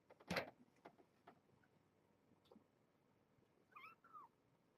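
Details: Kittens with their mother Janine, a brown tabby rescued as a stray near Tulalip, Washington, in their cage at Purrfect Pals during an afternoon visit: a loud thump, then two soft, short kitten mews curving up and down, with scattered taps.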